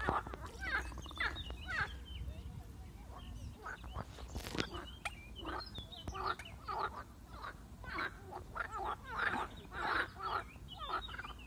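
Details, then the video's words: Marsh frogs, attacked by a grass snake, give rapid rattling, quacking croaks in short pulsed bursts about every half second to second, several overlapping, with a faint background hiss and a loud click near the middle. "Skokan skřehotavý"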